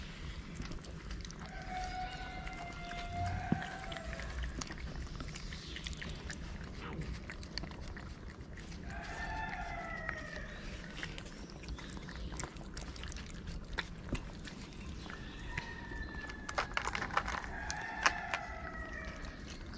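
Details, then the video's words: Homeless street cat in Morocco comes up meowing to a person who feeds strays, swatting at other cats. Three separate rising-and-falling meows sound at long intervals amid continuous low street noise and scattered clicks. "The cat that came to me with a meow"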